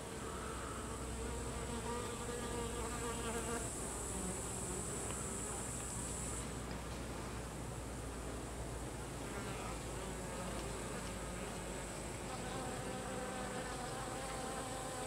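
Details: Many Carniolan honey bees (Apis mellifera carnica) during the expulsion of drones from the colony, a thick unbroken buzz with overlapping pitched wing whines and a bright high hiss during the first six seconds.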